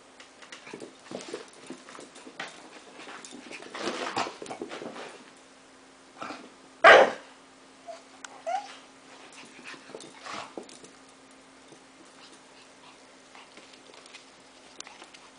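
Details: A Shih Tzu and a Pit Bull play together, with one loud, sharp bark standing out near the middle. Softer scuffling, snuffling and faint vocal bursts come around it, over a steady low electrical hum.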